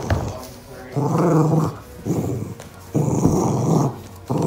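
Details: Poochon dog Boca growling while playing footsie soccer indoors: two rumbling low growls, each under a second, separated by a quieter gap, with light thumps of play around them.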